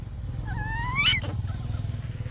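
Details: Baby monkey belonging to Yaya, hungry for Yoyo's milk, gives one whining cry that climbs steadily in pitch and ends in a brief harsh shriek, over a low engine-like rumble.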